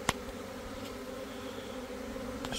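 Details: Italian honey bees swarming, a brief steady low buzz from many bees with a faint humming drone and a couple of sharp clicks at the start and end.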